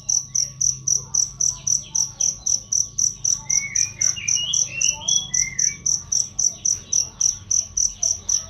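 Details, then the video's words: Cricket chirp used to train songbirds: a piercing, high, clear pulse repeated at an even pace of roughly four per second, with a short burst of rising and falling bird whistles midway. "masteran jangkrik untuk burung"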